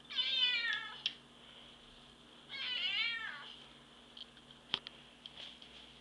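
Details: Two drawn-out meows from Divot the pet cat, about two and a half seconds apart, each bending upward and then sliding down. Then come quiet room hiss and a few faint clicks.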